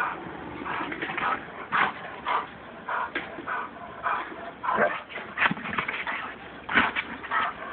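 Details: Two-year-old female German Shepherd sounding the alarm at a woman gathering recyclables; short rough barks and yips in irregular bursts, roughly every half second to a second, with faint speech mixed in.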